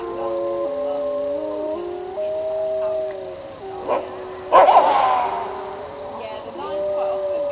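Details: Wolves of a pack, all now passed, howling together in an old recording: smooth overlapping howls stepping between pitches, a brief noisy burst midway, then the tones resume.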